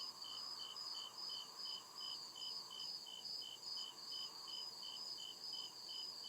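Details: Crickets calling in a dark forest at night: repeated shrill chirps, short and high, following one another steadily about every third of a second, with a dense insect hum and faint low rumble behind.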